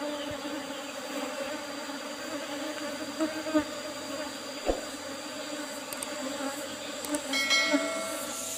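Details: Honey harvest from an Apis cerana colony in an old wooden box topped with reused asbestos sheet; a continuous low buzzing drone, occasional thumps, and brief high clinking near the end.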